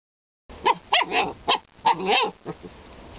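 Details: Alaskan Malamute producing a rapid, uneven series of short, harmonic yips and woo-like vocal bursts, roughly four per second, with a couple of longer, warbling sounds among them.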